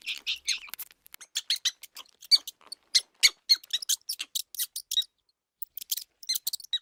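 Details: House mouse sounds played to attract cats: a dense run of short, very high-pitched squeaks and chirps in quick bursts, with a brief pause near the end; no other sounds.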